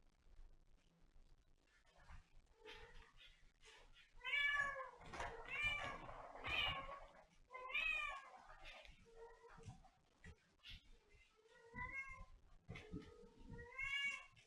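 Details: Domestic cat meowing indoors in a small room: a run of drawn-out, wavering meows, each rising then falling, several in quick succession, then a pause and another cluster of meows. Soft rustling and handling noises in between.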